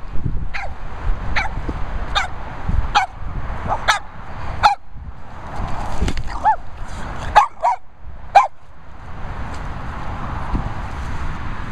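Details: Two Boston Terriers, Blu and Mini, give sharp, high yapping barks in quick succession, roughly one every second for about eight seconds. The barks then fade into a steady background hum with a faint high tone.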